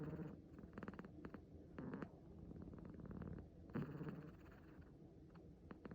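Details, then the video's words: Six-month-old male kitten, asleep and relaxed, giving a low rumbling snore-like purr in steady throbbing bursts, with soft scattered clicks and rustles over a quiet background. "子猫のいびき Kitten snoring"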